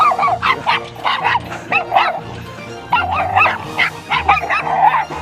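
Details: A mame-shiba (Shiba Inu) barks loudly and repeatedly in sharp, yappy bursts over soft music at a dog-friendly glamping site in Wakayama, as a familiar dog arrives.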